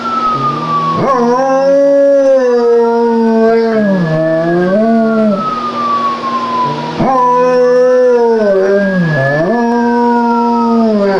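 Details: German Shepherd howling in imitation of a police siren: two long, wavering howls with rich overtones, each rising and dipping in pitch, while a siren's sliding wail runs alongside throughout.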